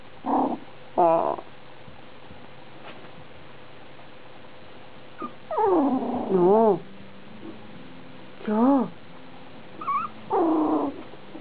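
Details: Six-week-old Biewer Terrier puppy, golddust biro with chocolate carrier genes, gives short rising-and-falling whines and yelps in scattered bursts of under a second, separated by quiet pauses with faint background hum.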